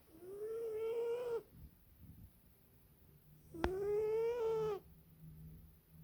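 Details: Sleeping female British Shorthair cat snoring indoors: two drawn-out, tonal, slightly rising whistle-like breaths, each about a second and a half, separated by a quiet pause of roughly two seconds.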